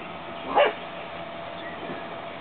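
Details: In the evening in an outdoor corral, an English Cream Dachshund gives a single short, sharp, high-pitched bark over a quiet background hiss.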